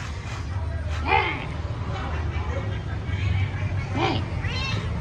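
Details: A pet cat gives two clear meows about three seconds apart, each curving up then down. Dense low rumbling noise fills the background, with a softer call near the end.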